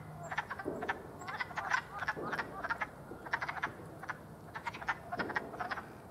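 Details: Wood frogs give short, hoarse, clucking croaks in quick clusters, much like ducks quacking, recorded 5 April 2022 alongside a ribbon snake sighting.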